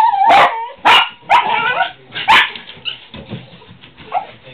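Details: Several loud barks from pet dogs reacting to squirrels, spaced roughly half a second apart, then trailing into quieter yips and whimpers.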